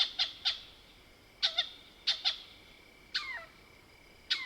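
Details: Mohol's bushbaby, a lesser bushbaby, calling at night in the African bush of the Soutpansberg range, South Africa: sharp high clucking squeaks, often in pairs, and one wavering descending cry, over a faint steady high whine.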